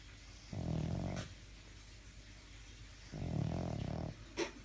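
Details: Sleeping pet dog snoring in a small room, two long, low, rumbling snores about two and a half seconds apart, each lasting roughly a second, with faint clicks between.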